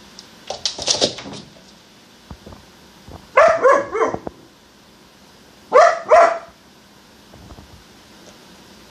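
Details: Nymeria, an all-black purebred female German Shepherd puppy aged 14.5 weeks, barks while obsessively chasing her own tail indoors: a yappy burst, then two clusters of sharp, rapid high-pitched barks, with scuffling paws and faint thumps between.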